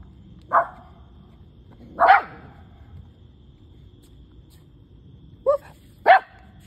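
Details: Two dogs, a cavapoo and a shih tzu, giving single sharp barks, four in all, spaced one to two seconds apart against a quiet room background.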